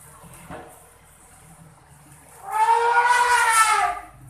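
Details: Elephants at Mae Sa Elephant Camp, Chiang Mai, talking with each other; one gives a loud, brassy trumpet lasting about a second and a half.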